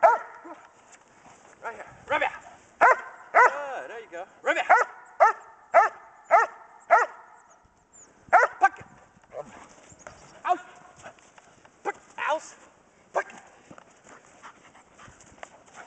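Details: Pregnant German Shepherd Dog Kodiak, litter of 10 puppies due in three weeks, doing Schutzhund bark and hold training in January 2010; a run of sharp, loud barks comes roughly every half second to second, with a handler's encouraging voice between them.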